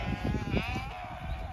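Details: Zwartbles ewes on a regenerative farm in County Kilkenny, Ireland, brought in one morning to separate out in-lamb ewes, responding to the feed bucket; a faint wavering bleat mid-clip over low rumbling noise and background music.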